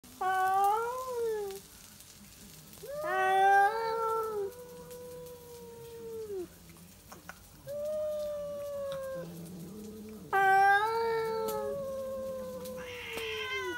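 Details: Two stray cats, one a tabby, caterwauling back and forth at midnight to defend a backyard territory: long wavering yowls, some rising and some falling, swapped in turns with quieter gaps between.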